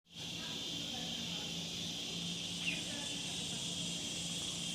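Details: Cicadas, called a rain noise bug that makes a huge sound, give a steady, unbroken high buzzing drone that holds at one level throughout, with a faint low hum underneath.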